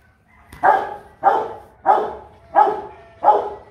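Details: Five steady, throaty barks from Kute Gervi, a 15-month-old Rottweiler, come about every two-thirds of a second, each opening sharply and fading out over a quiet background.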